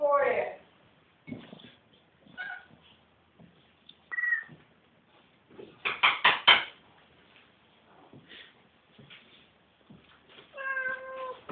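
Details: Siamese cats, the talking pair Ourania and Shahrivar bred at Cattery Van Scarlettini, calling indoors: a harmonic meow opens, a rising call follows, and a long steady meow closes, with soft knocks and scattered thuds between.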